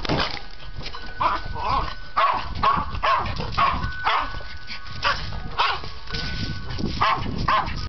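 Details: Before a walk, an excited dog keeps up a fast series of loud, rough barks, over a faint steady tone and some background voices.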